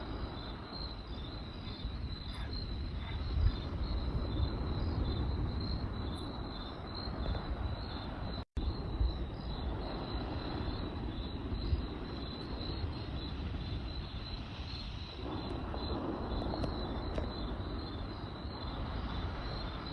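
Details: Crickets keep up a steady, high, pulsing chirp at night above the low rumble and pops of a crackling campfire.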